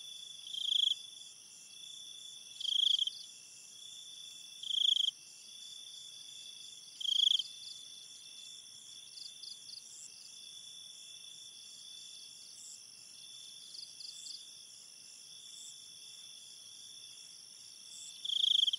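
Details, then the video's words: Crickets at night: a loud, high pulsed chirp repeats about every two seconds for several bursts, then quieter scattered chirps follow before one loud chirp returns, all over a continuous high-pitched cricket chorus. "cricket sounds and night ambience"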